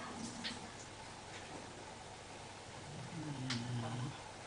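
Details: Sleeping Basenji named Larry gives a low, rumbling snore near the end, a drawn-out nasal drone lasting about a second; earlier there are only faint ticks and a quiet room hush.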